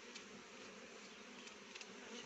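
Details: Honey bees feeding on rhododendron nectar to make honey: a smooth sustained buzz with several short soft tapping sounds over it.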